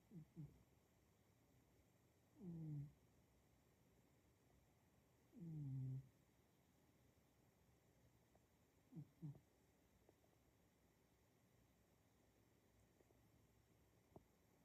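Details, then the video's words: Male domestic cat snoring while asleep: soft, low, rasping breaths in short bursts roughly every three seconds, a few fainter puffs between, in an otherwise quiet room. "He snores"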